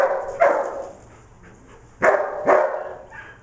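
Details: Three short, sharp barks from Declan, a dog herding sheep on 25 September 2011, the last two about half a second apart after a quiet pause.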